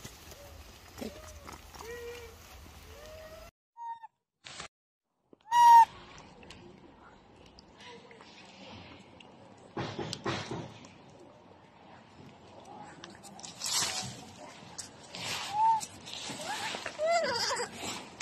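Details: Baby macaque with no mother to protect him, seriously injured after being bullied, gives short arched tonal coos at intervals, some with faint harmonics, among clicks, rustling and sudden bursts of broadband noise.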